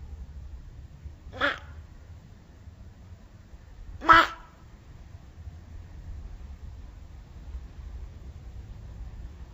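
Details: Slow-motion recording of an angry Pacman frog giving two brief, raspy squawks about three seconds apart, the second louder than the first, over a low steady hum.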